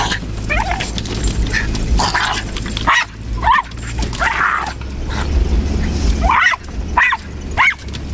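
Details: Pet dog yipping and whining at trees, which the owner jokingly says he guards the family against; short rising yelps come in scattered bursts over steady low rumbling background noise, recorded on a lower-quality camera.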